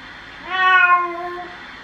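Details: A pet cat gives one drawn-out meow during a bath, steady and slightly falling, rich in harmonics, lasting about a second against a quiet indoor background.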